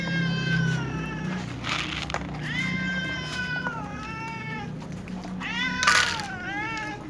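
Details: Several cats, among them a tom, a ginger and a silver cat, meow pitifully at meal time: long, wavering, pleading meows follow one another and overlap, over a steady low hum with occasional clatter.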